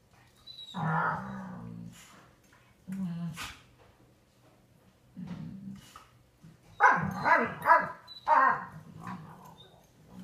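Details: An American Pit Bull Terrier that rarely barks gives deep, bear-like rumbling growls in irregular bursts, some rising into rougher grumbles, while playing with a 10-month-old American Bully.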